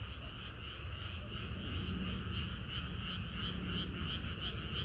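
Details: Frogs singing in a dense chorus on a hot summer night: steady layered croaking with bright pulses repeating about three times a second, over a constant low rumble.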